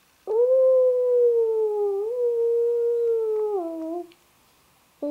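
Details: Young female Labrador retriever singing with her owner: one sustained howl of about four seconds, steady and slightly wavering with a small upward step midway, ending in a lower droop, then the start of another.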